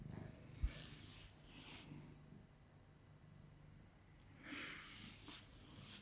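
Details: A cat named Jimmy, calm and good-natured, purrs quietly indoors while being held, a faint low rumble under repeated rustling bursts of fur and clothes.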